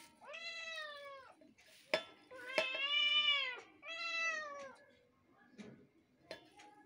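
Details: Two kittens meowing together, mixing their voices: long harmonic meows overlapping and alternating, several drawn-out cries with a few sharp clicks and knocks between them.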